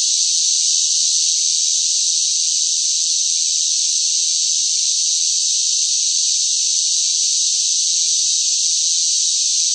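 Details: Cicadas calling noisily in the hot summer, a continuous shrill buzzing drone with an even, unchanging loudness throughout and no pauses, birds or voices.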